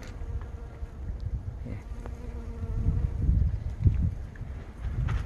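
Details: Western honey bees pollinating blooming plum blossoms hum steadily in flight, a low droning buzz rising and fading as they pass.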